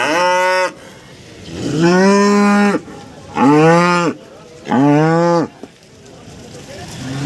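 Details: Breeding cows at a cattle market in East Java, Indonesia, some offered with calves: four loud, harmonic moos, each about a second long and slightly falling at the end, separated by short quiet gaps with faint market murmur.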